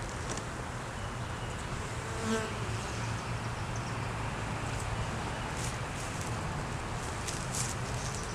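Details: Honey bees at an opened beeyard hive during an inspection that found a laying queen, honey, capped brood and larvae, recorded on a DSLR camera; a steady low droning hum under dense broadband hiss, with brief faint clicks and knocks.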